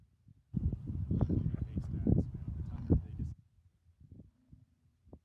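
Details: American bison in Yellowstone during the mating season rut, a bull staying near females; a deep, rough, growling roar of about three seconds with a throbbing, pulsed texture, followed by quieter low rumbles and faint background noise outdoors.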